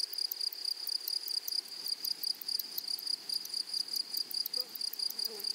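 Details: Grasshoppers of a flowery meadow give sharp, high, evenly spaced pulsed chirps over a constant shrill tone, with faint low chirps toward the end.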